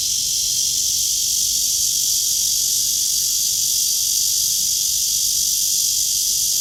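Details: Cicada calling from a tree on a blue-sky morning, August 23, 2020, 9:27, heard on a walk: a loud, unbroken, high-pitched hissing buzz holds at an even level throughout.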